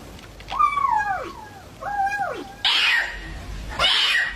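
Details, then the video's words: Cat making two short arched calls that rise then fall, then two harsh breathy hiss-like bursts. "Funny cat sounds"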